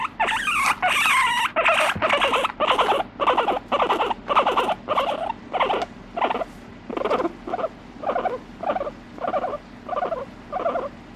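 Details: Pet guinea pig calling with no background music: harsh, loud wheeks at first, then steady pulsed squeaks about twice a second that gradually soften and shorten toward the end.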